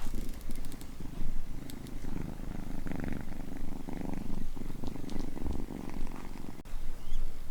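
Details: Two-month-old kittens melting with contentment on a warm heater pad, giving a deep, rumbling purr that pulses steadily and fills the low range, with light rustling and soft clicks over it.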